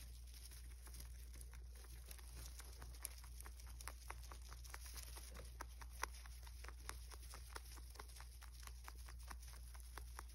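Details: Rabbit eating indoors in an ASMR-style mukbang, crisp crunching bites repeating rapidly, roughly twice a second, over a steady low hum in a quiet small room.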